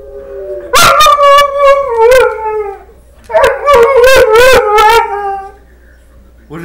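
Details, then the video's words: Pet dog talking back to wolves on a screen. Two long, wavering, howl-like vocal phrases with strong harmonics, each broken by yips and yelps. A short pause separates them, and a person speaks briefly at the end. "TALKING DOG"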